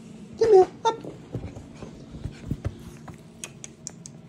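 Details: ChiChi, a pet Chihuahua, greeting its owner: a loud, brief, falling whine near the start, a second shorter whine, then quiet scratchy taps and soft rustling.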